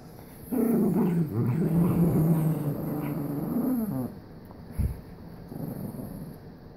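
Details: Jack Russell Terrier described as having OCD, growling in one long continuous rumble of about three and a half seconds that wavers slightly in pitch, then a brief snort and quiet breathing indoors.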